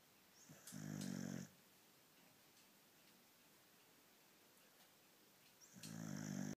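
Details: Beagle snoring in its sleep: a loud, low, rattling inhaled snore lasting under a second, a quiet pause of about four seconds, then the next snore starting.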